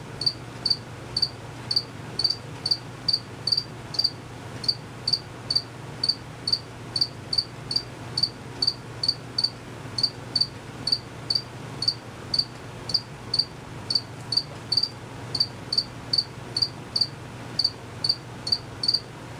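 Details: Unseen crickets keep up a long run of sharp, high chirps, evenly spaced about twice per second, over a faint constant low drone.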